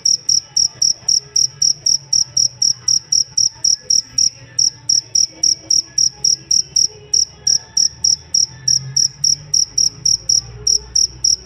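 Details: Jangkrik, a cricket used to tutor songbirds, chirps in sharp high pulses, roughly four per second, with a couple of brief pauses in the run; soft low rumble in the background.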